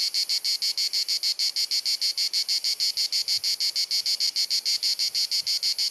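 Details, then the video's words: Summer cicada chorus in Dalmatia, Croatia, on a hot sunny afternoon, recorded with a compact camera: a loud, steady, high buzzy chirr pulsing rhythmically about three times per second, with no other clear sounds. "Cicada Singing ☀️ Pjesma Cvrčka ☀️ Chant des Cigales ☀️ Zikaden Geräusche ☀️ アブラゼミ☀️Cigarra Cantando"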